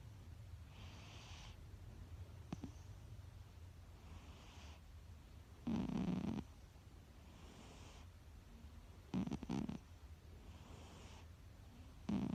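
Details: Siberian Husky Kuu-chan asleep and snoring: soft breathy snores recurring every second or two, two louder, lower rumbling snores near six and nine seconds, over a steady low background hum.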